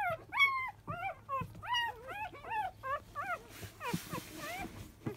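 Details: Five-day-old Labrador Retriever puppy of a field line, during morning nursing at ten o'clock: clear, arched squealing whines in quick succession, a few soft snuffling noises in between.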